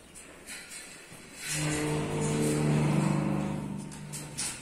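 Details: Simmental cattle at calf suckling time in Çiçekliköyü, Saraykent, Yozgat, Turkey: a low, drawn-out moo of about two and a half seconds with rich harmonics, swelling then fading, over faint clatter and background voices.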